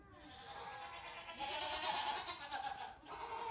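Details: Young goat kids, the oldest nearly two weeks old, out for a short morning play session of hopping on a farm; a wavering, nasal bleat with stacked harmonics rises and falls through the middle, over a soft outdoor hiss.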